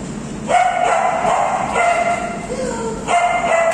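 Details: Female Alaskan Malamute among her friends giving three short, tonal, harmonic woo calls, each under a second, with a lower wavering note between them.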